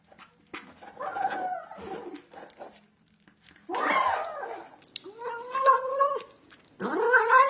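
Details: Domestic cat making odd, weird meow noises: four short harmonic calls, wavering and slightly bending in pitch, the last one rising sharply, with quiet gaps and faint indoor background between them.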